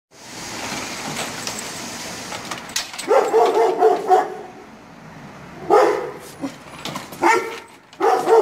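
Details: Young Kangal dog barking sharply in reply to neighbouring dogs' barking; bursts of deep, harmonic barks begin about three seconds in, several in close succession with pauses between, over steady background noise.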